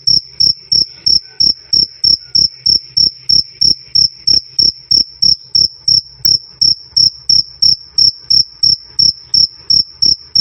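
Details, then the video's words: Cricket chirping loud and clear, recorded as a training sound for songbirds: bright high chirps repeated about three times a second in a steady, even rhythm, each chirp a short pulsed burst, with no other clear sounds. "Suara Jangkrik "Krik Krik" Keras Dan Jernih"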